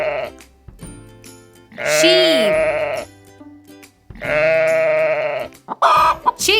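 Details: Sheep giving two long, loud, harmonic-rich bleats roughly two seconds apart, the first wavering and dropping at its end, against light instrumental music with a brief extra bleat at the close.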